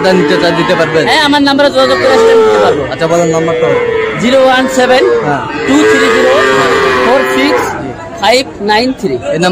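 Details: Several Sahiwal bull calves bellowing at the Ambari market in Tangail, Bangladesh, Friday 25 August: overlapping drawn-out moos bending up and down, with human voices and crowd chatter in the background.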